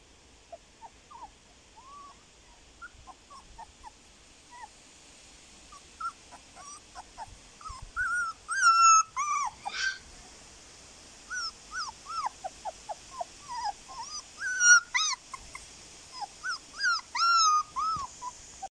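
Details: Male Siberian husky puppy, fawn-and-white with blue eyes, born 25 September 2020 at the Krylatki kennel in Moscow and filmed 15 October 2020. Gives a long series of thin, high whimpers and squeaky yips, rising to louder squeals midway and near the end.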